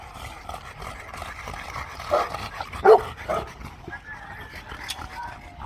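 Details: Boerboel dog giving two loud, harmonic barks close together near the middle, with a fainter yip after them; voices murmur in the background.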